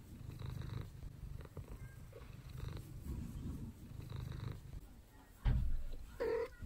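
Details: Mouse, a pet cat sunbathing in her favourite spot, purrs in a low rumble, then gives two short, tonal meows near the end.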